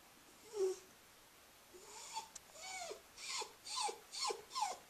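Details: Scruffy, a female Cairn Terrier, whines in thin high tones: one short whimper early, then after a pause a run of bent, wavering whines that come every half second toward the end.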